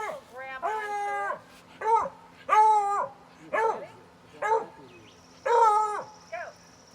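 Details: Beagle howling during a game of fetch, July 2020. Series of drawn-out, wavering howls and yelps, about six bursts in seven seconds, each rising then falling, with a faint whistle-like tone near the end.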